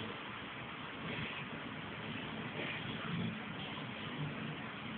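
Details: Steady engine and road rumble spread across low and middle pitches for the full five seconds, with a slight swell near the third second and no animal voice standing out.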